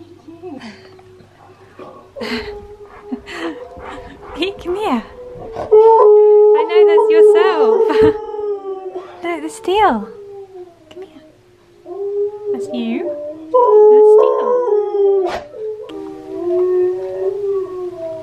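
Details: Husky singing, with a second husky, Key, reacting with head tilts. Wavering, drawn-out howl-like tones rise and fall in long phrases, broken by short yips. A person talks in places.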